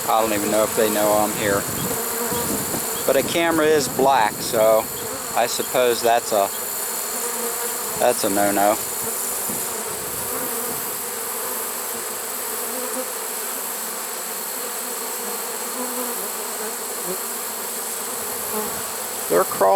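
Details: Trapped honey bee swarm, caught late in the season on 1 September 2019: a man talks over the first seven seconds, then the bees' steady, dense hum carries on alone.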